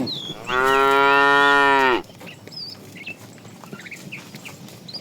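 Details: Tame cows of a cow family roaming the road looking for food; one loud, drawn-out moo lasting about a second and a half, steady then dropping off, with small birds chirping in the background.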